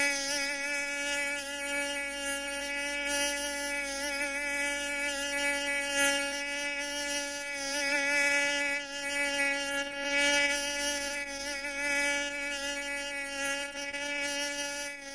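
A mosquito's steady, high, whining buzz holds on one pitch with a thin, nasal edge.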